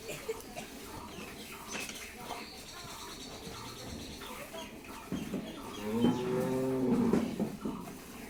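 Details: Friesian cow at Mrittika Dairy Farm in Pabna, Bangladesh, recently calved for the second time, with a bull calf and a 20–22 litre milk yield. She gives one long, low, steady moo of about a second and a half near the end, over quieter voices and indoor shuffling.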